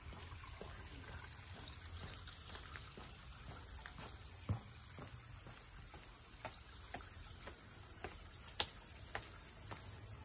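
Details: At Ine no Funaya, the port house district north of Kyoto, a cicada chorus forms a continuous shrill drone, with regular sharp clicks and taps from the walk beneath it.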